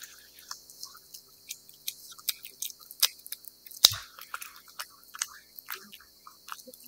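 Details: Wet cat food being chewed by a cat: bright, crackly mouth clicks and lapping smacks, fairly sparse and uneven, with one louder sharp knock midway, otherwise quiet surroundings.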